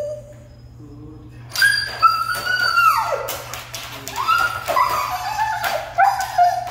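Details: Siberian Husky, described as hard to train, giving drawn-out whining, yodel-like vocalizations that slide down and rise again after a quiet start, with a constant low hum underneath.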